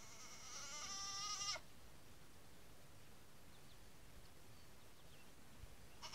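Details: Day-old Nigerian Dwarf goat kids; one clear, high, steady bleat lasting about a second and a half that cuts off sharply, followed by quiet with a faint cry starting at the very end.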